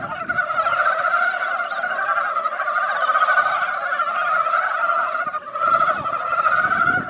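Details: Crowded mountain frogs calling together at a mountain pond after light rain, an even, seething chorus of short clucking notes at two pitches, with faint low background rumble and a brief dip around five seconds.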